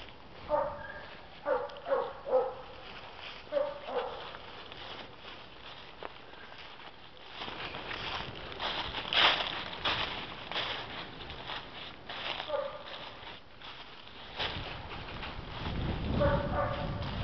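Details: Black and Tan Coonhound named Betsie, a female shelter dog up for adoption in November 2014 after a court-ordered surrender; a burst of loud, ringing barks in the first few seconds, then noisy handling and footsteps, with more barking near the end.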